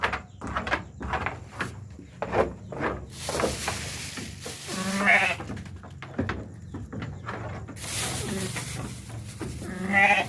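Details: Sheep during lambing, giving a couple of wavering, drawn-out bleats amid rustling and handling noises, with people talking nearby and music in the background.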